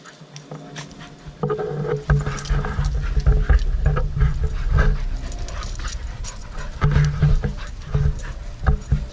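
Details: Playing dogs, with rough, rumbling growls and scuffling that start after a quiet opening and turn loud and continuous, broken by sharp noisy bursts throughout.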